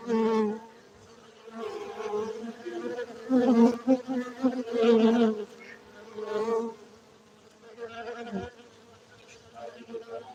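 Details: Buzzing honey bees at an apiary in Bener Meriah, Aceh, Indonesia, a steady low hum broken by several loud close fly-bys that rise and fall in intensity before settling into a fainter drone.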